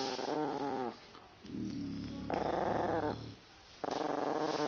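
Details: Female pet Yorkshire Terrier indoors, mock-attacking her owner who teases her with a growling sound she hates; harsh, harmonic-rich growls come in loud bursts about a second long, alternating with lower, rougher growling between them.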